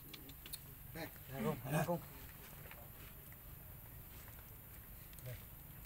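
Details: Hungry baby monkey Leo crying loudly to beg milk from a mother who rejects it: two strong, harsh, wavering wails close together near the start, then quieter rustling and faint outdoor sounds.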